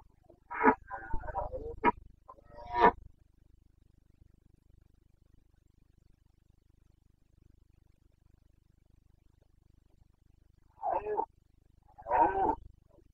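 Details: Carpathian red deer stag roaring during the September rut in the Bucovina mountains, Romania, 29 September 2022. Two clusters of short, harsh, harmonic-rich bellows, one near the start and one near the end, with quiet between.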